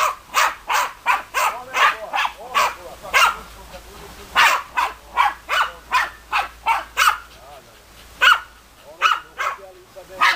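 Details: Barking from German Hunting Terriers Bagira and Cox von der Fuchskralle: a long, fast run of short, harsh barks, a brief lull near the middle, then more barks in quick succession.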